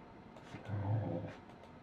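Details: Goro, a sleepy Welsh Corgi doing watchdog duty on 13 February 2015, gives one soft, low, muffled woof about half a second long, barking quietly because drowsy, over faint background hiss.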